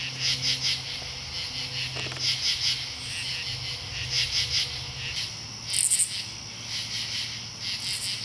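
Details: Katydids in Marlborough, Connecticut, on 8 August 2011 rasp in short, buzzy bursts of a few pulses each, overlapping in a steady late-summer chorus.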